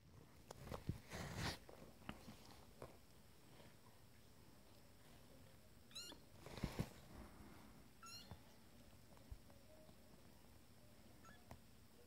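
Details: Twenty-day-old kittens from a first litter calling for their mother indoors; short, thin, high-pitched mews come in brief bursts near the middle and later, mixed with rustling and bumping handling noises.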